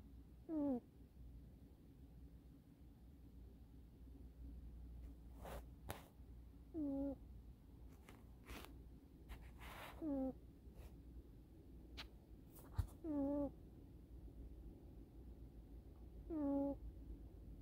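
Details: Kitten Eddy conked out on a sofa, chin on his forearm pressed against the sofa back, airway slightly restricted. Short, whistling nasal snores repeat roughly every three seconds, six in all, with faint rustles between them indoors.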